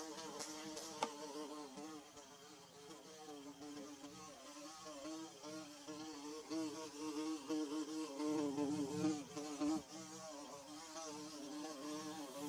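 A bee hums with a steady, low droning buzz that wavers slightly in pitch.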